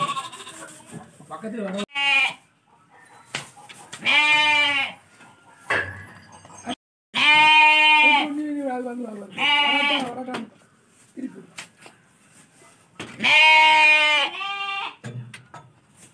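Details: Lambs offered for sale give about five loud, wavering, strongly harmonic bleats over sixteen seconds, each lasting around a second, with short quiet gaps and brief human voices between calls.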